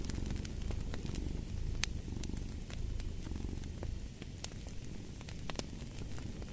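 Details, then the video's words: Cat purring in a soft, vibrating rumble with breath-paced swells, set against bright crackling and snapping of a burning fireplace; the purr eases slightly near the end. "Purring of a Cat"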